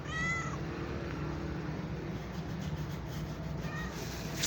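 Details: Domestic cat with one short, bright meow at the start and a softer, shorter meow near the end. Steady low hum and hiss fill the gap between them.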